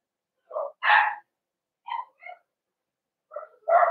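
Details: Cavalier King Charles Spaniel puppies in a home puppy pen being socialized with several of the household's bigger dogs, 12/13/22; short yips and barks in bursts, a pause, then two more yelps, with a quiet room behind.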